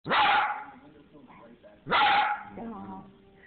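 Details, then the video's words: A little dog with a big voice gives two loud drawn-out vocal bursts about two seconds apart, each sliding up sharply then holding a strong tone before trailing off into softer grumbling, talk-like sounds. "Little Dog Talking"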